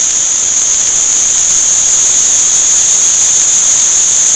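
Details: Crickets kept for sale at an insect, flower and fish market in Shanghai produce a continuous, piercing high trill, loud and unbroken across the whole stretch, many insects merging into one shrill ringing tone.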